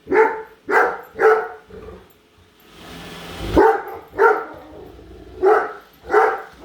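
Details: Great Dane in a home chasing and barking at a disliked Roomba robot vacuum; bursts of sharp barks in quick pairs and triplets, broken by a short whooshing noise in the middle.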